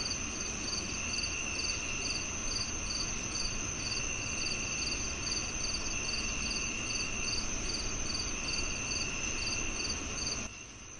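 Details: Crickets chirping in a steady chorus: short, high, pulsed chirps repeated about twice a second over a constant high-pitched insect drone and low background rumble, ending in sudden quiet near the close.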